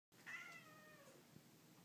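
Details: Domestic cat indoors, described as crying like a little baby: a single drawn-out meow with a strong start that slowly falls and fades, in a quiet small room.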